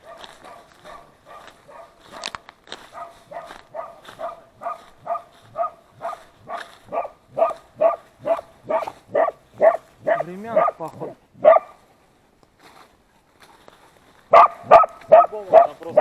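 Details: Hunting laika barking while working a badger at its burrow during a night hunt in Samara Oblast, Russia: rapid, regular barks at about two per second, a brief pause, then another loud burst of barking.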